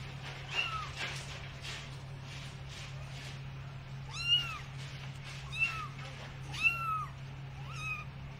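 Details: Cats and kittens in a compilation of funny pets, giving short high meows with a falling pitch, repeated irregularly about every second, over a steady low hum.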